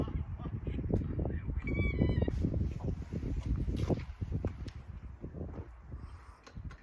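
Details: Chihuahua caught mid reverse sneeze: rapid, rough, honking snorts repeated in a quick burst, with people talking in Korean around it.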